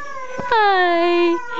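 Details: A husky-collie cross dog just over one year old chimes in while watching a video, giving a sustained, harmonic baritone howl that slides slowly downward, with faint speech before it.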